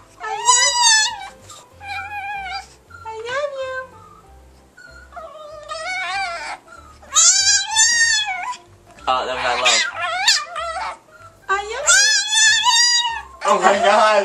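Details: A Chihuahua performing its 'I love you' talk: repeated rising-and-falling whining yodels, some strained and breaking, delivered in bursts between quieter gaps, with background music and a person urging it to give one more.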